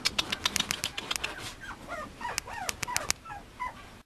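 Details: Male Mame Shiba Inu puppy: a burst of sharp tapping clicks opens, followed by a string of short, thin, high whimpers with bright overtones, each rising then dipping, repeated rapidly for about two seconds.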